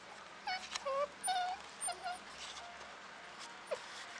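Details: Samoyed puppies at a kennel in Slovakia whimpering: a series of short, high, wavering whines, several rising then falling, coming in quick uneven bursts over a few seconds, with faint room noise and a woman's voice nearby.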